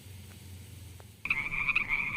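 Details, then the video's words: Frog near mossy wet rocks with snails; after about a second of near silence, a loud, steady, buzzy trill begins abruptly and runs to the end, pulsing slightly with a faint lower hum beneath. "Funny frog sounds"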